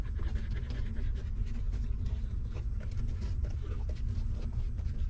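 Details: Hungry newborn puppies of a stray mother dog sucking milk while she nurses them: steady soft rhythmic smacking and panting-like breaths run through the whole stretch over a constant low rumble.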